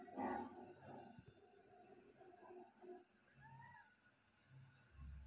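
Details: Persian cat giving birth to five kittens indoors: a short, loud, harmonic cry opens, then quieter murmurs and a faint rising-then-falling mew near the middle, over low room rumble.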